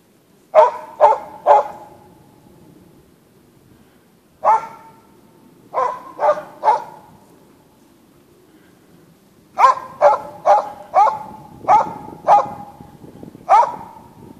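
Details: Hunting Norwegian Elkhound giving bay barks in the forest near Sorsele, Sweden: clipped, resonant barks in bursts of three, then a longer run of seven, roughly two per second, with pauses between bursts.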